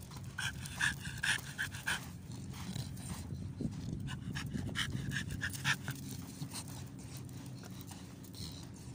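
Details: American Bully named Amber at Belajat seaside, Salmiya, Kuwait, panting in quick breathy bursts, a little over two breaths per second with an uneven rhythm, over a steady low rumble in the background.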